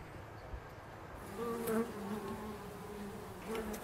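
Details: Bumblebees pollinating foxgloves in an English country garden; a low steady buzz that swells louder around the middle as a bee passes close, with short higher whines and faint background hiss.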